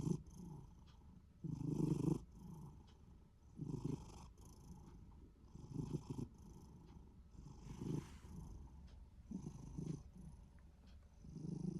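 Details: Minuet cat, short-legged and seemingly in a good mood, gives a low throaty rumble that could be snoring or purring, rising and fading in repeated bursts about every two seconds in a quiet room.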